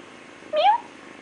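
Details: Feral kitten, born and raised by a feral cat in an industrial area, gives a single short meow that starts low, slides upward and ends after about a quarter second, recorded indoors on an older camera.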